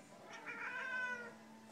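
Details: Siamese cat watching a squirrel, giving one drawn-out, nasal harmonic meow of about a second that swells and then fades, with quiet room hiss around it.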